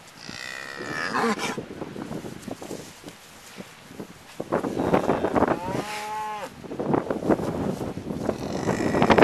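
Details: ['Cows all around a pickup truck, heard from the back of it: a brief moo in the middle amid rustling, thuds and other lowing, with busy clattering noise throughout.']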